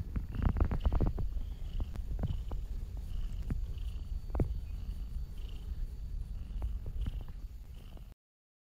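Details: A kitten purrs while keeping her mother company as she eats and getting head and nose scratches; steady low rumbling purr with soft clicks and rustles throughout.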